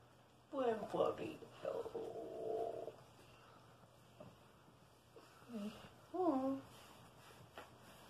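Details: A pet Redbone Coonhound hugging its owner inside a small room, with drawn-out groaning moans followed later by bending, rising-then-falling whines, interleaved with a person's soft talking.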